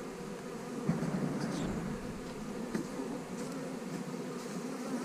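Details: Mass of honey bees humming as colonies are split into new hives, a thick, steady buzz with light tapping sounds.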